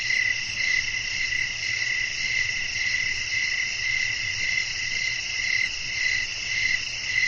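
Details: Night ambience of chirping crickets: rapid, high-pitched pulses ticking along in a continuous rhythm over a dense ringing insect chorus, with a soft low background hum of wind.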